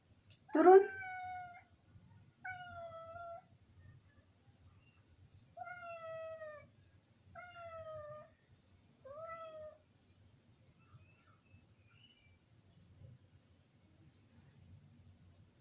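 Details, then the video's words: A village cat (kucing kampung) up above the kitchen keeps calling to have the door opened. It gives five loud, harmonic meows, each falling in pitch, spaced about two seconds apart, before going quiet over a soft indoor hum. "kucing kampung minta di bukakan pintu manggil2 di atas dapur"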